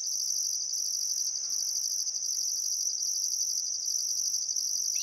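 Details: Unbroken high-pitched cricket trilling on a still summer afternoon at sunset beside the Barcoo River, Welford National Park, Outback Queensland. A second, higher chorus pulses on and off in regular beats. Hardly any other sound is heard.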